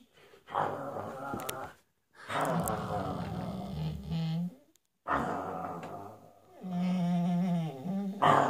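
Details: Dog growling in low, rough rumbling bursts separated by short silences, followed by a higher, wavering harmonic whine near the end, indoors.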